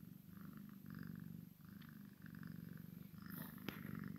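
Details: Maine Coon x Sphynx cat, a kitten playing with its mother, purring in a steady low rumble broken into breathing phases, with faint clicks and a brief sharp tap near the end.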